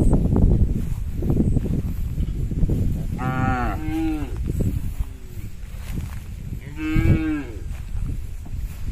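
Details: Tame herded cattle, hundreds together, crossing a small bridge on their way home to the pen. Two loud, drawn-out moos with a rising-falling bend. Low rumbling background of hooves and movement.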